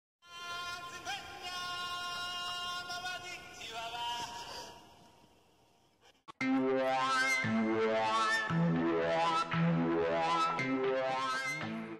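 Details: Sustained synthesized tones give way after a brief silence to louder, bright rhythmic music with sung melodic notes.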